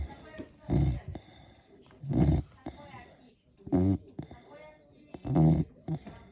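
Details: A Beagle asleep and snoring: four throaty snores, the later ones buzzier and more nasal, spaced about one and a half seconds apart over a quiet background.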